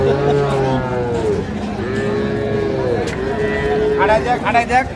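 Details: Cattle at Ambari livestock market in Dinajpur, Bangladesh, where dairy cows and calves are sold, moo in a series of arched calls with crowd voices and clatter behind.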